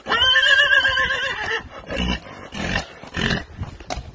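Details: A horse gives a long, wavering whinny of about one and a half seconds, followed by a few shorter snorting bursts and low thuds.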